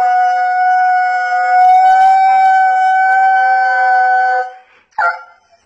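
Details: Siberian Husky called Ngáo gives a single long, steady howl that holds nearly one even pitch for over four seconds, then stops. A short, sharp yelp-like sound follows after a brief pause.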